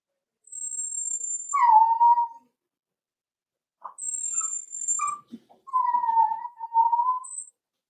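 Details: Whining Cavalier King Charles Spaniel puppies aged four weeks, kept in a puppy pen at feeding and socializing time: very high thin squeaks alternate with mid-pitched falling whimpers and short yelps, ending in a drawn-out steady whine.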